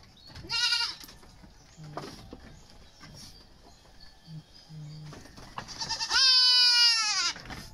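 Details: Goat being dewormed at weaning time: two bleats, a short nasal one near the start and a long, loud, strongly harmonic bleat later that holds steady then falls slightly, with quiet handling noises between.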